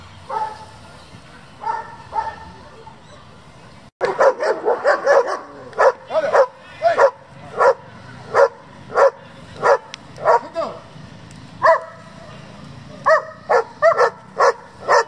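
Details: German Shepherd at a breeding and competition working group: a soft opening of a few barks, then a dense run of loud, sharp barks about every half second to a second, with brief pauses and a final quick burst.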